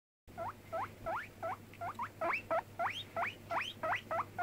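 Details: Cracker, a pet guinea pig five months old, squeaking on a bed: a rapid series of short, rising whistle-like squeaks, roughly three per second, each sweeping upward with bright overtones, over a steady low hum.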